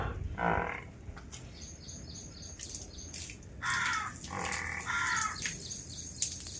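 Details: Newborn water buffalo calf on a farm gives several short, nasal, harmonic bleats, one early and two close together later, between people talking nearby, with faint bird chirps in the background.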